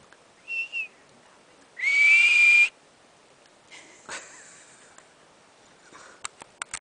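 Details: Marmot at Berg Lake, Mt Robson, Alberta, Canada, confused by someone talking to it; a faint double whistle, then one strong shrill whistle of nearly a second, followed by rustling and clicking noises.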